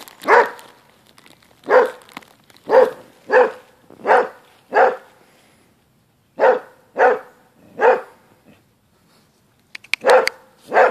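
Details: Basset Hound in a dog fight, giving loud, harsh barks in uneven bursts, several in quick succession, then a pause of nearly two seconds before more barking resumes.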